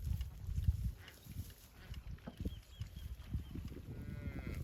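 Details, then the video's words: Cattle, from a set of cow sounds including calves calling their mothers and mother cows calling calves; a drawn-out, harmonic moo rises near the end over steady low rumbling and scattered thuds. "Funny cow sound"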